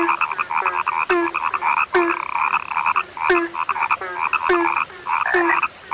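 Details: Frogs croaking, described as now rare: dense overlapping chorus of nasal, pulsed croaks in the mid range, each opening with a short low note followed by raspy upper bands, repeating several times per second with brief gaps.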